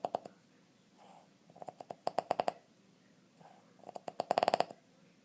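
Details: A 2½-year-old Boston Terrier from West Chicago, Illinois, snores in its sleep in quick rattling bursts that sound almost like a woodpecker drumming.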